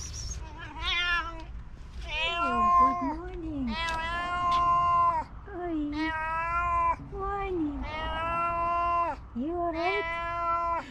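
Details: A female tabby cat, said to be hungry, gives a run of long, deep, guttural meows, each drawn out and sliding down at the end.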